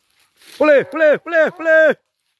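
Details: Several dogs chasing a wild boar; four loud, evenly spaced barks with arched, ringing tones follow one another quickly within about a second and a half.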